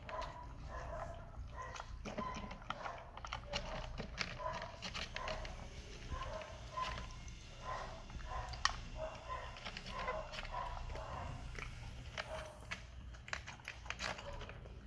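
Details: Hungry Persian kitten mewing over and over, short tonal mews of about half a second each, coming in quick irregular runs across the whole stretch, with soft clicks and handling noise in a small room.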